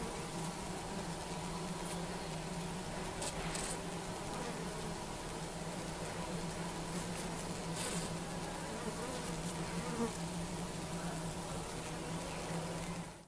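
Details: Asian honey bees swarming over an open top bar hive beside a house in Siem Reap, Cambodia, as keepers work slowly without smoke; continuous deep humming drone, level and unchanging, with a few brief clicks and taps.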